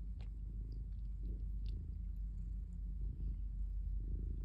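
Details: Calico cat purring while kneading in a basket; a soft, continuous low rumble throughout, with faint clicks and light rustling above it.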